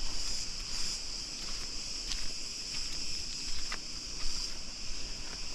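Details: Cicadas growing more active and louder in the evening in the palm forest near Preveli beach, Crete; a steady high shrill buzz holds throughout with faint ticks and low rumble beneath.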